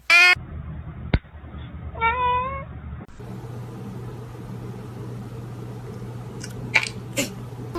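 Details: Domestic cat making two short meows, one at the very start and another about two seconds later, followed by a steady low hum and a few faint clicks.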